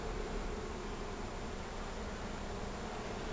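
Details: Honey bee swarm being rescued from a wall beside an air conditioner on a fourth floor above pillars, Sderot Ye'elim, Be'er Sheva, Israel; a dense, unbroken droning hum with a steady low buzz throughout, no pauses.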